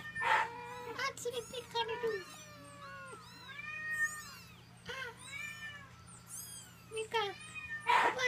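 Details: Three 21-day-old Munchkin kittens, babies of the cat Mikan, give a stream of thin, high meows that overlap and arch up and down, several callers at once, over a steady low indoor hum.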